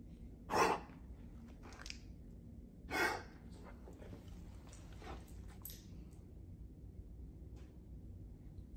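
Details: A 10-year-old male Weimaraner gives two sharp, breathy coughing gasps a couple of seconds apart, a weird cough that occurs mostly in the mornings and sometimes when he is excited.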